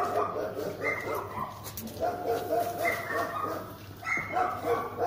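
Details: German Shepherd tested for guarding ability, first run started cold without warming up: rapid, fairly regular barking at more than three per second, mixed with occasional human speech over a low hum.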